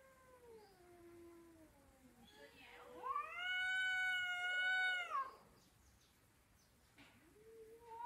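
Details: Domestic cat talking with drawn-out meows: a soft low wavering call, then a loud, long, strongly harmonic yowl held for about two seconds, and a quiet rising meow at the end.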